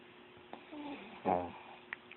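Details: Sleeping Chihuahua snoring: one short, rough, buzzy snore swells and fades in the middle, preceded by softer breathy rasps, with faint clicks and a steady low hum indoors.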